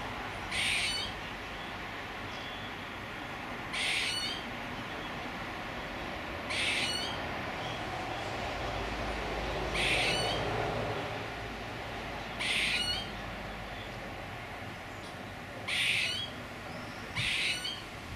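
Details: Repeated squirrel calls: seven harsh, wheezy bursts at irregular gaps of roughly two to three seconds, with a low rumble of background noise.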